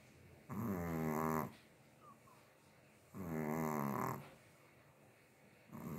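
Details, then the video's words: Chihuahua sleeping and snoring, two drawn-out wavering buzzy snores about a second each, roughly two and a half seconds apart, a third just beginning at the close; quiet indoors otherwise. "Моя храпулька"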